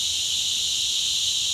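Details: A cicada gives a loud, steady, high-pitched buzzing drone without pause beside a trail in humid highland forest, Armando Bermúdez National Park, Ciénaga de Manabao, Dominican Republic, in cicada season.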